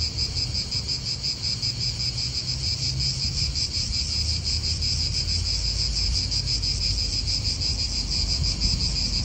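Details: Cicadas in an Italian park keep a relentless high, rasping drone, pulsing quickly and evenly throughout, with low wind noise rumbling beneath.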